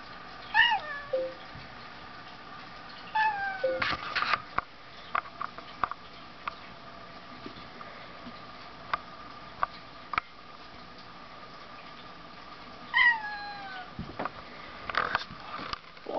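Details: Two pet cats, Solomon and Tasuki, play-fighting indoors; sharp high descending meow-like cries near 0.5, 3 and 13 seconds, with thumps and scuffling between them.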